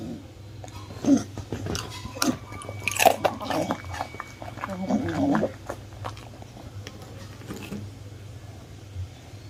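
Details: One-year-old miniature bull terrier indoors eating crispy baked fruit: irregular crunchy bites and chewing clicks about every two seconds, a louder crackling crunch near the middle, over a steady low hum.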